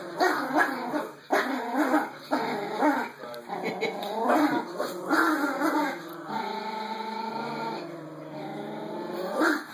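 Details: Two young Yorkie-Pom dogs play-fight over a rope toy, Momo becoming possessive. Choppy, gravelly growls pulse in quick uneven bursts, then ease into a steadier drawn-out rumble. A faint electronic tone hangs behind.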